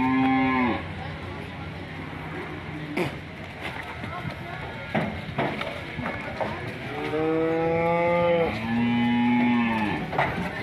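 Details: Angry, aggressive cows bellowing: a harmonic moo at the start, then two long steady moos later, the second held and slightly rising, with clicks and knocks between them and a low engine-like drone underneath.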